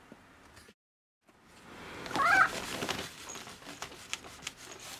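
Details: Domestic cat meowing in an affectionate, attention-seeking way while being stroked from below; one short, rising then falling mew in the middle, set among rustling and soft handling noises indoors.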